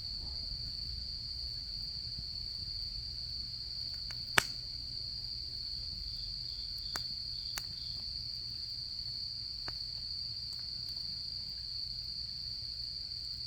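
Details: Insects of autumn keep up an even, piercing ringing trill beside a campfire; one loud snap and several lighter crackles break in, over a low background murmur.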